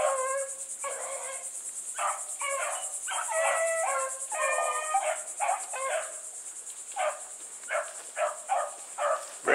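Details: Several Bluetick Coonhounds pushing hard with a white female called Sassy among them. Choppy, overlapping baying comes in quick bursts, then thins into shorter separate notes. Crickets trill steadily underneath.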